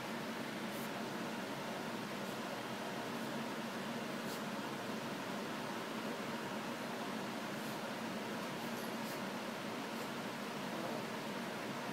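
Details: Steady indoor hiss like a fan or air conditioner, with a few faint clicks and no animal voice.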